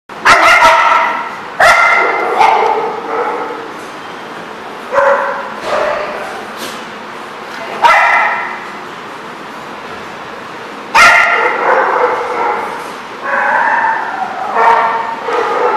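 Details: Dogs barking at a site called The Barking Lot, recorded March 24, 2014. Loud, harmonically rich barks and yips come in bursts of several calls, with brief pauses and a low background hum of other dogs between them.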